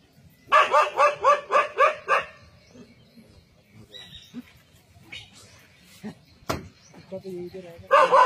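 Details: Brave dog holding its ground against a leopard in a forest: a steady train of seven loud barks in under two seconds, a quiet stretch with scattered faint noises and one sharp crack, then barking resumes.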